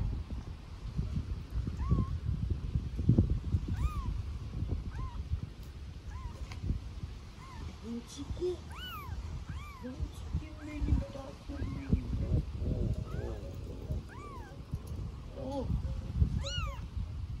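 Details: Hungry newborn kitten among street cats in Istanbul calling for its mother cat: repeated arched, rising-and-falling meows, several in quick succession, with Turkish conversation and low background rumble throughout.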